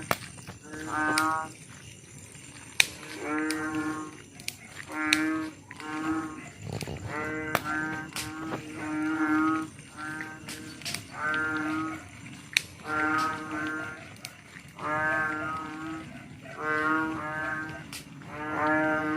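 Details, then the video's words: Frog calling at night: low, deep, moo-like harmonic croaks, each under a second long, repeated steadily about every one to two seconds, with sharp scattered clicks between calls. "Suara katak di malam hari"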